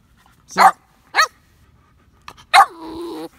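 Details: Samson, a young Boxer puppy in training, gives three short sharp barks, the last trailing into a drawn-out whine, with quiet Spanish speech around it.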